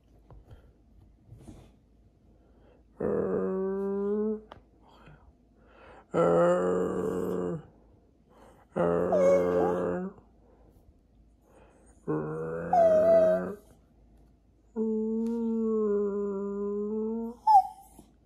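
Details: Pet Jack Russell Terrier 'talking' to its owners, seeming to have something to say: five drawn-out, moaning whine-like vocal bouts of one to two seconds, separated by short pauses. Some bouts bend upward into squeaky notes, and a brief high yelp comes at the end.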